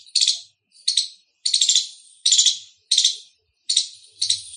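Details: Loud chirping of an Indian squirrel: short, harsh, high-pitched trilled bursts, each about half a second long, given in an uneven series with brief silent gaps and no other sounds.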